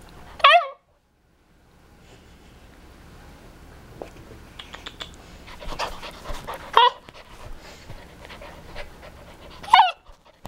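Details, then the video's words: A young male Siberian Husky, a budding talker, gives short, squeaky, wavering yowls as it learns to howl, panting between attempts. "Little Boy Siberian Husky Talking and Learning to Howl"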